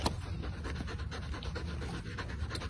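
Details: A pet dog, a female, pants in quick rhythmic breaths, with soft scratching and a few nearby sounds in the background.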